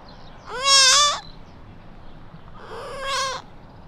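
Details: Lost newborn whitetail fawn crying for its mother along quiet suburban streets; two nasal bleats, the first loud and slightly rising then flat, the second softer and shorter, separated by about a second and a half of quiet.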